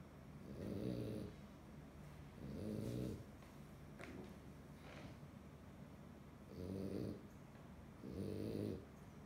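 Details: A sleeping French Bulldog (Canis familiaris) snores in low, rumbling breaths, each lasting under a second, with a longer quiet spell midway.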